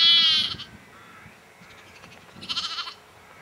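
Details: Sheep bleating at Egton, North Riding of Yorkshire, April 2012: one short wavering bleat, a quiet pause, then a second trembling, pulsed bleat.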